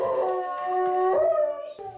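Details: A Jindo dog with separation anxiety, left alone at home as the owners go out, gives a long, mournful howl, sliding upward and holding a wavering tone, a sound seeming too sad for its size.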